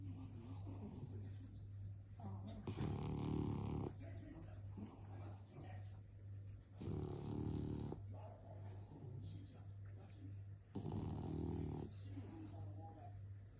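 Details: A French bulldog snoring: three rasping, rattling breaths roughly every four seconds, each lasting about a second, with quieter breathing between them and a steady low hum underneath.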